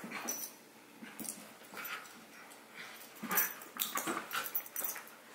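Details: Playful tussle between a six-month-old Havanese puppy named Howie and Remy, a miniature schnauzer, shot on a Sony a6000: sparse sharp yips and scrabbling sounds, growing busier near the end.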